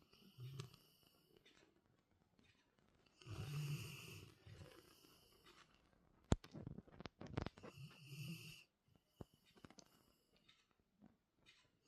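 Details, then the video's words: Labrador Retriever snoring indoors in a small room: low rumbling snores in bursts near the start, middle and after eight seconds, with sharp clicks and rustles between them. "Wer schnarcht denn da?"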